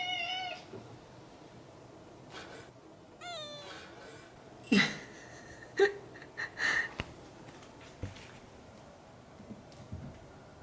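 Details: Domestic cat indoors during a gradual introduction to other household cats: a clear harmonic meow opens, then a second meow slides downward, followed by sharp knocks and thumps in a small room.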